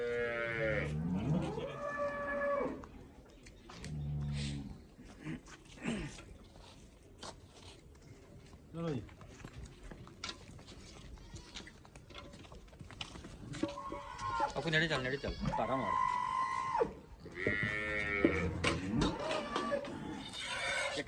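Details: Cholistani Friesian cross cattle in Pakistan moo several times amid men shouting and talking as animals are handled; short strained calls come in bursts near the start and a longer sustained moo later, with clatter and voices throughout.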